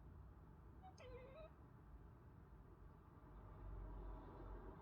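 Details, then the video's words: Pet cat, one of a household pair, Fox the ginger male and Pippa the tortie female, making weird sounds: a single short wavering mew with a rising-then-falling contour and bright harmonics, set over steady low traffic-like rumble. "Cat making weird sounds"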